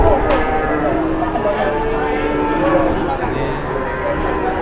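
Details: {'caption': 'Large cattle in Indonesia in the morning, several overlapping drawn-out, tonal moos layered at once, with a constant murmur of voices and crowd noise behind.'}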